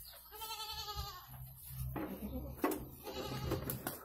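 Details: Goat in labour delivering two kids: a clear, strained bleat with strong harmonics opens, followed by rustling, low hum and a fainter second bleat near the end.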